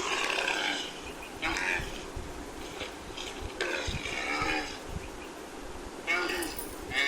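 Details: A camel groans and bellows roughly, with several rasping, throaty bursts following one another closely, the last two sharper and louder, against a faint low rumble.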